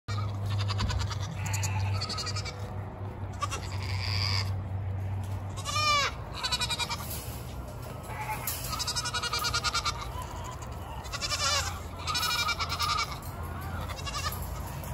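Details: Several Nigerian miniature goats yelling and screaming for dinner, urging their keeper to hurry with their wheat feed. Loud, wavering, harmonic-rich screams overlap and repeat throughout, some rising and falling, over a steady low hum.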